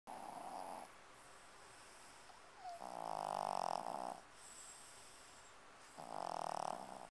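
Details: A sleeping Chihuahua snoring: three long, rough, breathy snores at about two-second intervals, separated by quieter breathing, with a steady hiss throughout.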